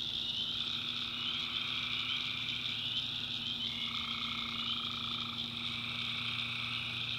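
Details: Tree frogs at night in a North Carolina backwoods swamp, many callers trilling together in steady, buzzy layers that step up and down in pitch, with a loud insect whine above and a faint low hum.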